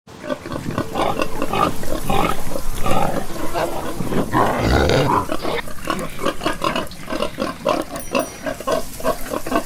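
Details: Pigs on a farm grunting in a steady stream of short, low, rough pulses, several animals overlapping at about three grunts per second, with one louder squealing burst midway.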